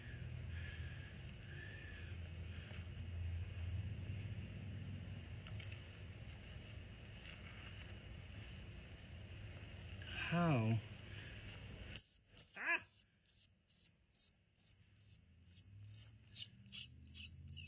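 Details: Two squirrels tangled together in a mess, one being freed by hand after it bit its helper: rapid high, sharp squeaks repeated about twice a second, following quiet talking and low background rumble.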